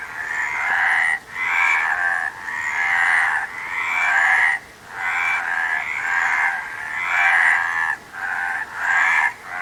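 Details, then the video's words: Repeated buzzy frog croaks, each about a second long, coming roughly once a second in an uneven chain of rasping pulses, with nothing else audible. "Frog Sound"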